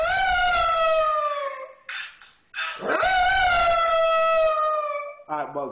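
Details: A Pekingese "sings" along to hip hop music its owner plays, giving long, drawn-out howls that slide slowly downward, with a man's voice briefly in between.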